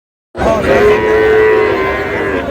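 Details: Sahiwal cattle at the Ambari cattle market near Pabna, where a farmer buys a Sahiwal bull calf on 23 August: a single long, steady, tonal moo begins abruptly and holds for about two seconds amid crowd murmur.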